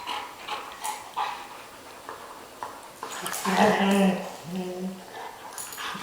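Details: A dog gives drawn-out, whining vocal sounds while playing, among faint room noise and a voice.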